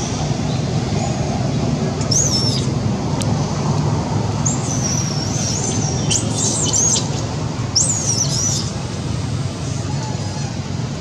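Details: A monkey named Janet screams loudly because she wants food; shrill, wavering squeals arrive in several bursts mid-clip, set against a continuous low hum and rumble.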